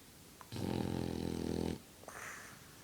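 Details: French Bulldog snoring while blowing bubbles, indoors: one long rasping, buzzy inhaled snore of about a second, followed by a softer wheezy exhale.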